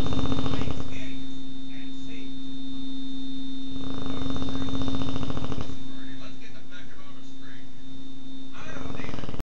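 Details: Loud snoring from Lily Lou the American Bulldog, captured with an Android phone: deep, buzzy rattling breaths swelling in bursts around the middle and near the end, with a persistent mains-like hum underneath throughout.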